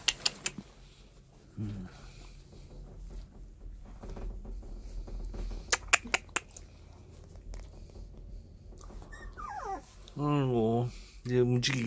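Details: Puppies seventeen days old, their eyes newly opened, indoors: a few sharp clicks and taps, then near the end a run of high, wavering whimpers and whines rising and falling, with faint human murmuring in the background.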